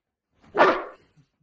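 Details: Boerboel dog indoors during play over a bed gives one short, loud, hoarse bark about half a second long, harsh and broadband, then silence, with a person speaking around it.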